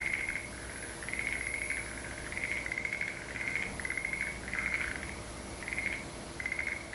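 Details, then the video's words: Frog chorus in Aso: steady trilling calls in repeated bursts of about a second, overlapping voices pulsing continuously with short gaps between bouts. "Frog chorus"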